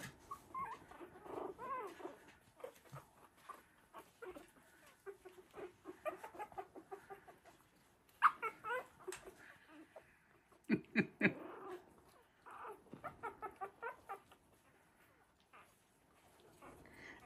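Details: Playful three-week-old Havanese puppies in a whelping box, giving scattered squeaks, whines and short yips in irregular clusters, interrupted by knocks and bumps, with a woman's voice and brief music nearby.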